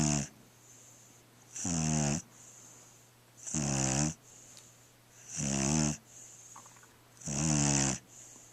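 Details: Small black pet dog asleep indoors, snoring steadily: raspy, buzzy inhaled snores about half a second long, repeating roughly every two seconds, with soft hissing breaths between them.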